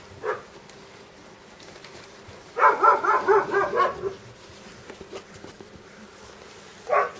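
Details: Dobermann puppy giving a quick run of high, squeaky yelps for about a second and a half, with single short yips near the start and end over a quiet indoor background.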